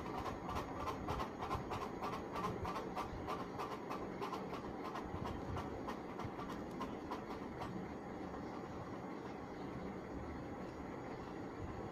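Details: A passing train rumbles with rhythmic clickety-clack of wheels on rails, and no animal calls are heard. The steady mechanical rhythm fades slightly toward the end.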